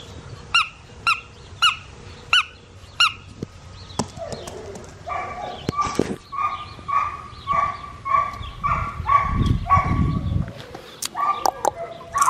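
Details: Black tri male Australian Shepherd puppy from an Oklahoma breeding farm: short high tonal yips repeated about every half second, then longer drawn-out whining cries in a steady run, with a soft low rumble underneath.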